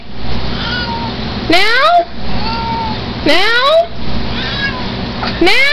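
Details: Repeated insistent meows from Chance, a Siamese mix pet cat, three rising, strained calls roughly two seconds apart, with a person's voice softly in between.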